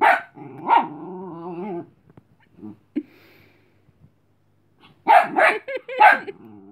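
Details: Cleo, a tired Chihuahua puppy, telling dog Robin to leave her alone rather than play; a bark and wavering whine open, a brief quiet with faint sounds follows, then a quick burst of three loud barks.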